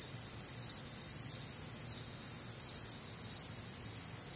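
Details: Nighttime crickets, Midwestern summer, warm and humid, producing a bright unbroken wall of rapid high chirps in several pitch layers, with quiet low-frequency murmur underneath.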